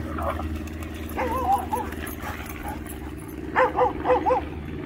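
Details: American Akita playing in the water at Baldwin Park dog park in Orlando, Florida: two bursts of barks, one near the start of the second and a louder cluster of three or four yips later, over steady low hum and outdoor background.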